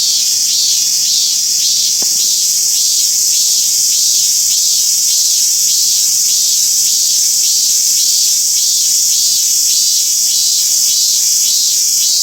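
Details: Robust cicada at Toyanogata Park in Japan, one of few living there, singing a continuous shrill drone overlaid with rhythmic pulses repeated roughly every half second, very steady and loud.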